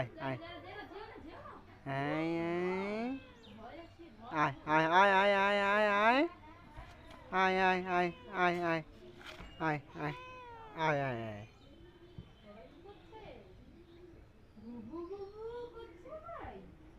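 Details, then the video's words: Cats and kittens meowing in a playful competition: several long, drawn-out wavering meows with rich harmonics, some held for over a second, separated by shorter calls and quiet gaps; faint background noise. "Funny cats and kittens Meowing sound Effect competition"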